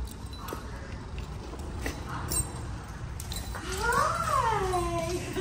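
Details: Hopper, a Greater Swiss Mountain Dog, reunited with his owner: after quiet background murmurs, one long harmonic whine arches up and then slides down near the end, with a woman's soft excited greetings nearby.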